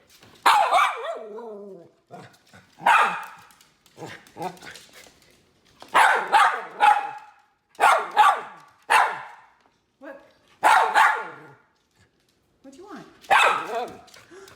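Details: Miniature red poodle Teddy Bungoo keeps barking to let his family know he wants a treat; a long run of loud, harsh barks, about one every second or two, some in pairs, with brief quiet gaps between them.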